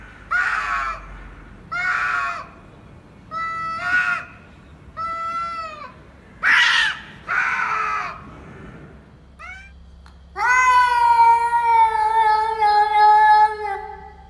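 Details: Cats meeting, voicing odd calls: six harmonic meows about once a second, some wavering, others falling, followed by a long steady drawn-out yowl after a short pause.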